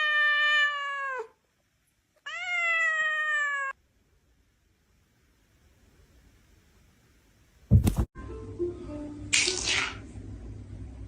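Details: Domestic cat meowing twice, each call a loud, nasal, slightly rising then falling wail lasting over a second, followed by quiet, then a sharp clunk and rustling.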